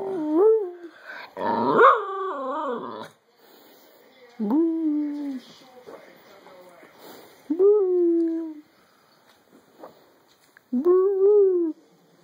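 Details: Jaffa, a dog howling together with its owner, gives short whimpering howls that slide downward, each about a second long and repeated every three seconds, with quiet room sound between them.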